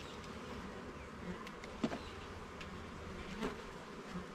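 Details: Short stretch of honey bees humming inside a garden hive under inspection: an even, low buzzing drone with two soft knocks at about two and three and a half seconds.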